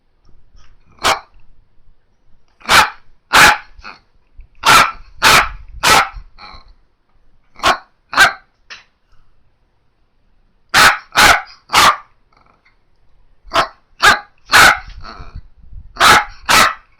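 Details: Female Miniature Dachshund barking indoors on a hot day after returning from a haircut; sharp, loud barks in quick bursts of two or three, with short pauses between groups, repeated throughout.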